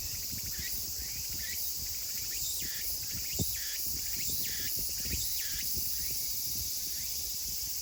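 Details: Meimuna opalifera singing in a late-summer chorus in Kawagoe, Saitama, Japan, 24 August 2020: repeated dipping, rising phrases roughly once a second over a constant shrill insect drone.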